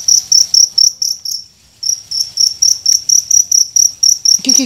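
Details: Wild cricket in Indonesia, located at night by torchlight while hunters search for it. Sharp, high-pitched chirp pulses come roughly twice a second, break off briefly near the middle, then resume evenly. Soft low rustling underneath.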